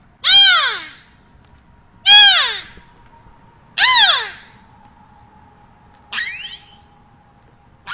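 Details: A beluga whale (Delphinapterus leucas), seen in Orlando, Florida, gives loud, harmonic, downward-sliding squeals, repeated about every two seconds over a steady hum.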